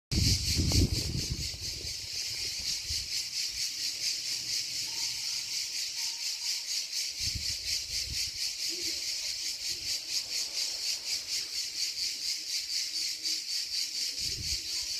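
Cicadas sing a steady, high, hissing buzz that pulses rapidly without pause.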